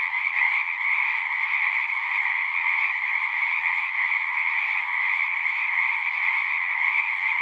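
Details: Steady massed singing of frogs, a shimmering continuous trill in two pitch layers with slight pulsing in loudness, nothing else audible.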